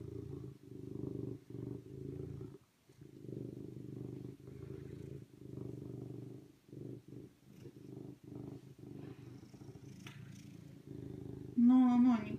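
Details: Serval purring in rhythmic low pulses, about three per second, pausing now and then, ending with a short higher rising whine-like squeak near the close.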